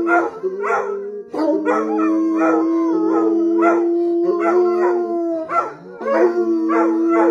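Bloodhounds howl together in long, steady, mournful tones with wavering overtones.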